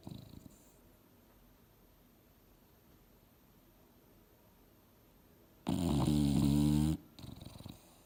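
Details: Mildred, an English Bulldog napping on the couch and dreaming, stays quiet for several seconds, then lets out one loud, deep, buzzing snore about a second long, followed by a fainter breath.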